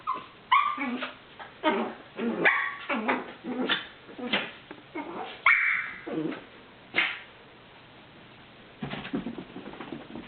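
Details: A small female Chiweenie, a very vocal dog, playing with another dog, lets out quick strings of high-pitched yips, squeaks and whiny grumbles, some rising, others dropping sharply, in uneven bunches, then fades to quiet with faint room noise.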